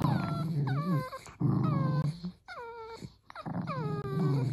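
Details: Dachshund kept as a house pet, producing low continuous growls broken by high, descending whimpering whines, four to five bouts in quick succession.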